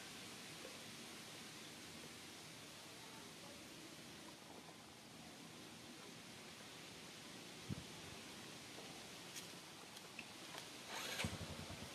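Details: Quiet even hiss with a few faint clicks and a brief rustle near the end, and no animal call audible.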